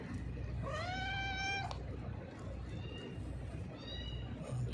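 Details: Thin, hungry cat with a broken leg being offered food, giving one long, level, plaintive meow lasting about a second, followed by faint softer mews and low background rumble.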